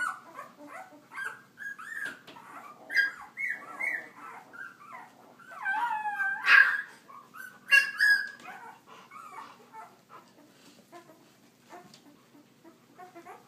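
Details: Leia's puppies on a walk: a run of high whining whimpers and short yelps sliding around one to two kilohertz, louder squeals near the middle, with faint rustling between calls.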